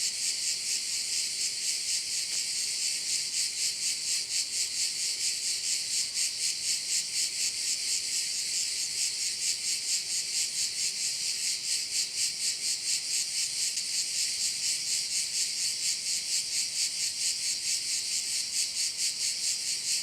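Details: Cricket chorus over a Korčula bay, high-pitched and unbroken, throbbing in even pulses roughly twice per second. A faint steady hum sits underneath during the first half.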